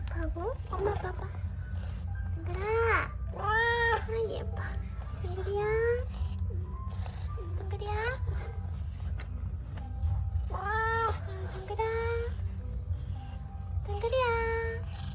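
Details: Domestic cat Donggeul-i, from a household of sixteen cats and one dog, runs out to greet. About six arching, rise-and-fall meows sound at irregular gaps over steady background music and a low hum, with some speech between them.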